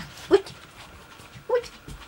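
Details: American Staffordshire Terrier puppies from a kennel litter dated 13 February 2016, indoors; two brief, high, tonal whimpering yelps about a second apart, with a soft third sound at the end in a quiet room.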